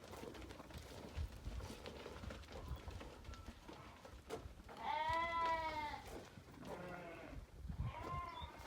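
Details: Damani ewes offered for sale, one of eleven, giving loud quavering bleats with stacked harmonics between five and six seconds, a shorter bleat near eight seconds, amid low background noise and faint shuffling.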